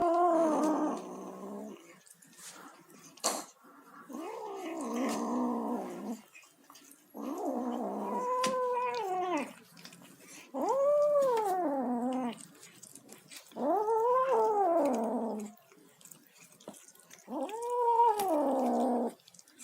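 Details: A tabby kitten makes noises while eating: drawn-out, arching, growly meows, each lasting one to two seconds, in a steady series.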